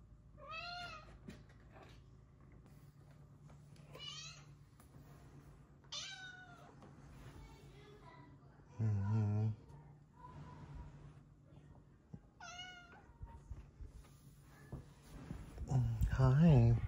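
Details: Happy, friendly blue-eyed female cat meowing, about five clear meows spaced a few seconds apart, each rising then falling in pitch, with a woman talking softly to her between calls.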